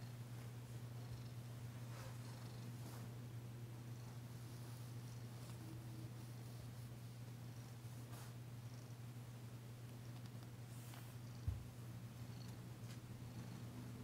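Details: Danci the cat purring throughout a massage session indoors, a long, even low drone, soft rustling, and one sharp click near the end.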